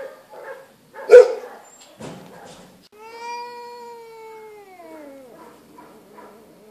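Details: Feral female cat at an animal shelter. A sharp knock comes first, then a single long, steady meow that slides downward at the end before fading into quiet.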